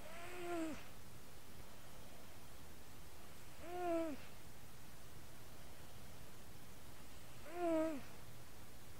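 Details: Sleeping house cat named Cougs, recorded through a microphone on his chest, gives three evenly spaced snores about every three and a half seconds, each a short tonal, slightly falling breath over a soft low purring rumble.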